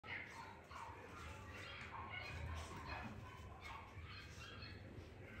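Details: Male Lhasa Apso puppy giving short, irregular high yips and squeaky whines over a steady low hum, with human voices talking in the background.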